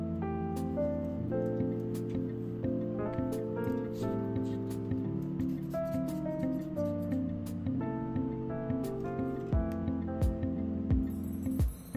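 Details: Steady instrumental music with sustained chords and a bass line plays throughout; no bird or other animal voice stands out.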